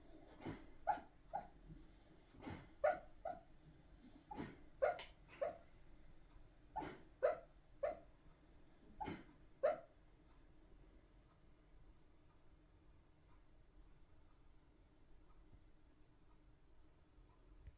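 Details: Sleeping spaniel snoring: rhythmic breathy snorts with a whistled edge, clustered in pairs roughly every one to two seconds for about ten seconds, then the room falls nearly quiet.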